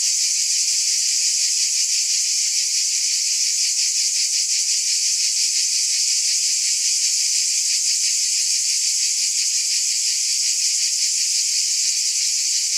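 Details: Many cicadas produce an even, sizzling high drone with a fine, fast throbbing texture, unbroken for the whole stretch, and no other clear sounds.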